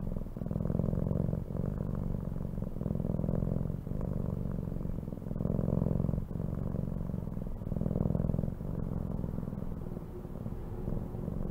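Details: Continuous low purring from a domestic cat, rumbling in rhythmic waves that swell and fade with each breath over about eleven seconds, with no other sounds.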